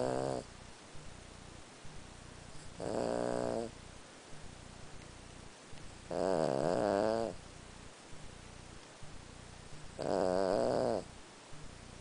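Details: A 14-year-old Lhasa Apso asleep indoors at night snores in steady rasping, buzzy breaths, each lasting about a second and repeating roughly every three and a half seconds, with quiet room noise between.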